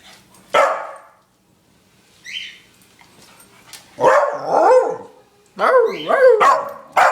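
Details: Pet Scottish Terrier making odd barking sounds indoors: a sharp single bark, then rising and falling yelping, whining barks in two bursts, with a faint high squeak in between.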